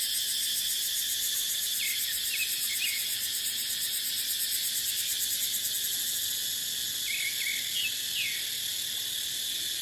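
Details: Dry-season cicada chorus in a dipterocarp forest: a steady, hissing, high-pitched buzz runs unbroken throughout. Faint, brief bird chirps appear twice, early and near the end, over the insect wall of sound.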